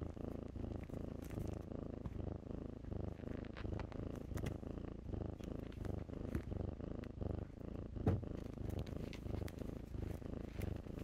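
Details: Kittens playing in blankets purr with a steady low rumble in pulsing waves, broken by sharp clicks and rustles of fabric.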